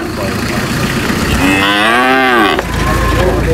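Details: Large cow being unloaded at a market, giving one long moo with a rising then falling wavering tone, over constant loud engine rumble and crowd noise, with French speech nearby.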